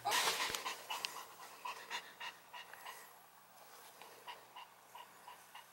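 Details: During a catch-me-if-you-can game, a long-haired Chihuahua's panting opens with a loud rush of breath, then settles into soft, fast, even huffs about four per second that gradually fade.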